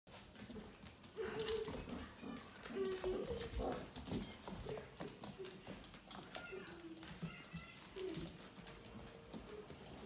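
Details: Vizsla puppies playing together, giving short high squeaks and brief whines at scattered moments amid steady scuffling, pattering paws and soft thumps.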